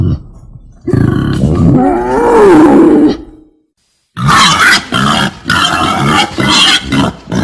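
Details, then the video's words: Female wild boar: a strained, wavering squeal rising then falling over two seconds, a brief silence, then a run of short, rough, throaty grunts in quick bursts. "Suara babi hutan betina"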